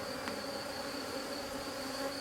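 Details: A rescued drone-laying honey bee hive gives off a constant drone, smooth and unbroken, with a faint tap at the start.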